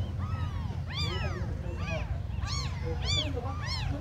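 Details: Smallest abandoned kittens giving a handful of plaintive mews within a few seconds, each cry arching up and down in pitch, with low background rumble.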